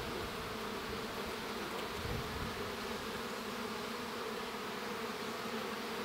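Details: Inside a honey bee hive as a young bee emerges: a continuous, rich humming buzz with a brief low rustle near the middle, otherwise steady.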